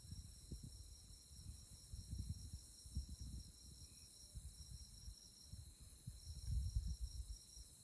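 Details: Insects chirping on a moonlit night in tallgrass prairie at Konza Prairie Biological Station near Manhattan, Kansas: a steady, high, finely pulsing chorus runs throughout over uneven low wind rumble.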